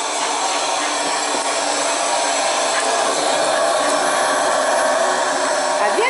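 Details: Steady broadband roar of a hair dryer or similar blower runs throughout, with faint speech underneath and no animal sound.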